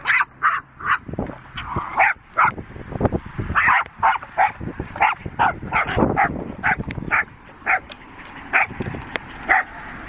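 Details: Sister Jack Russell Terriers Rosie and Poppy at play with a horse's boredom breaker; high, yappy barks repeat steadily two or three times a second throughout, over thuds and scuffling as the toy is knocked about.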